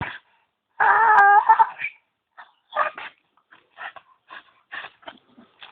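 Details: Zeus, a dog at a tree, making strange noises: one high, tonal, wavering whine of about a second, then a string of short, clipped yips and whimpers spaced through the rest.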